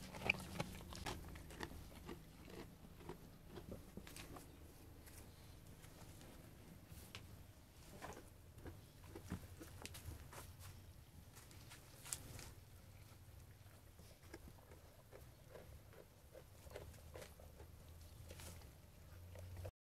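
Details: A sheep eating food, brisk crunching bites and chewing in quick irregular succession, with soft pattering and a low background rumble in a small room.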